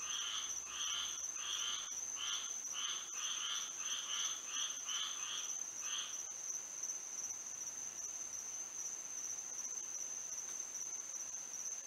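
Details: Florida frogs calling at night with moonlight: a burst of rapid buzzy pulses for about six seconds, then only a steady high-pitched insect drone remains.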